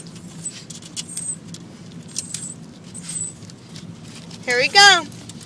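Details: Lambert, a dog, barks at water hitting the car: two short, high yelping barks with a wavering, falling pitch come near the end, over a steady low engine hum and the patter of water on the car.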